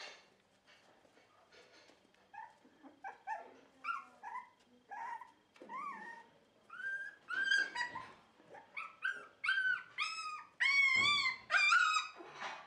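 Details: On 4 November 2018 at a Dutch Shiba Inu and Samoyed breeder, a dog whimpers softly at first, then builds into loud, squealing, wavering yelps in an irregular stream toward the end.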